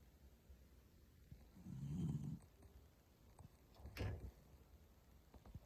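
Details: Toy Poodle named Pusuke snoring while sound asleep, filmed secretly at home; one quiet low rumbling snore near the middle, followed by a brief sharp click, over a faint steady hiss.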